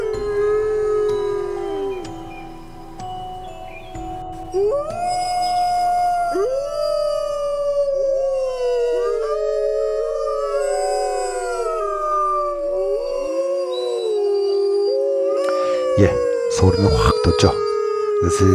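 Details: Several gray wolves howl together after a hunt, in long, overlapping tones that rise, bend and fall.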